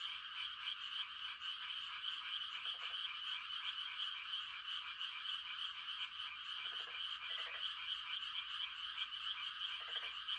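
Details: Countless frogs croak in a continuous pulsing chorus on a quiet country night at rice-planting time, with a few lower, nearer croaks standing out at about three, seven and ten seconds.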